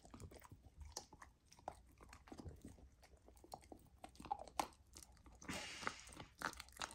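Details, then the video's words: First taste of raw lamb for a golden retriever puppy fed raw meat: quick crunchy bites and wet mastication, ending in a longer hissing, slurping burst of eating. "Puppy tries raw lamb for first time! ASMR Eating Sounds"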